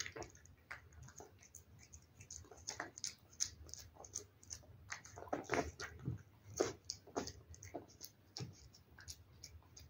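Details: A cat chewing wet food: rapid, dense clicking and smacking that rises and falls in small flurries, busiest toward the middle, with no other sounds.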